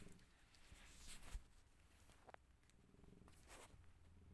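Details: Rescued mother cat with her five kittens; a soft, low, continuous purring rumble fills the recording, broken by brief rustles and handling noises around the middle.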